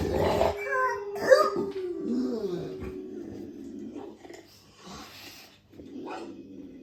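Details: A female Dogue de Bordeaux in the darkness, reacting as a watchdog to strange sounds, gives deep, rough barks and growly vocalizations in short, uneven bursts.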